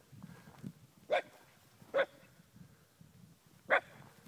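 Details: Eight-month-old Shiba Inu discovering cows for the first time in the Pyrenees, giving three separate short barks spaced about a second apart over low background rumble and faint other sounds.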